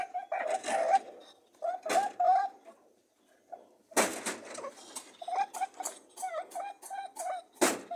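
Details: Mating rabbits give short nasal honking hums in uneven clusters, split by bursts of broadband rustling and grunting scuffles, with a brief near-silent pause midway.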